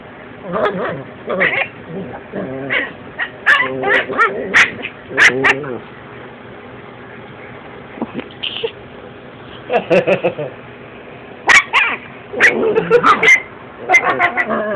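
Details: Chihuahua puppies wrestling, one a female of 10 weeks, with bursts of harmonic growls, short high yips and whimpers coming in quick clusters, while a person talks over the scuffle.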